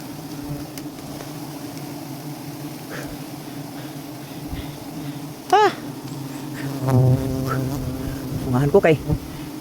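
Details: Droning hum of a bee colony in an umbrella tree while honey is harvested, low and even for several seconds, then overlaid by loud human exclamations and voices toward the end.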